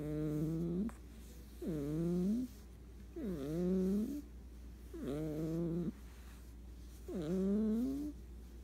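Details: Cat snores in its sleep, giving steady breath-by-breath groaning tones. Each swoops down, then climbs, and repeats about every one and a half seconds in a quiet room.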